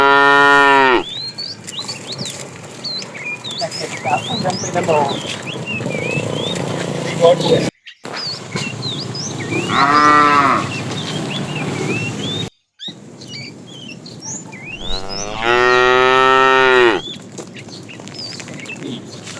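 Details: A herd of tame cows wandering far in search of food: three drawn-out, harmonic moos, at the start, near ten seconds and near sixteen seconds. Many small birds chirp and twitter throughout.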